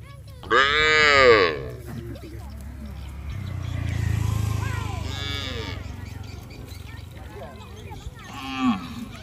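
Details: Village cattle heading down to the rice fields together, calling to companions: a loud harmonic moo of about one second, a lower murmuring stretch, then a short second call near the end.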